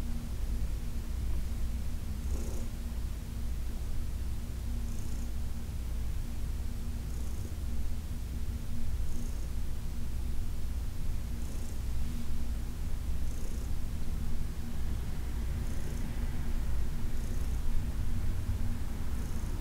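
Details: Heidi, a senior female cat adopted from the Humane Society of New York City, purrs through a massage on August 4, 2021: a steady low rumble, with soft brushing swishes recurring every couple of seconds.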